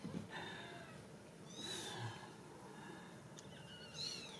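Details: Ragdoll kittens raised indoors without cages at a cattery in central Kansas; thin high mews with harmonics rise and fall near two seconds and again at the end, among faint rustling and a soft voice.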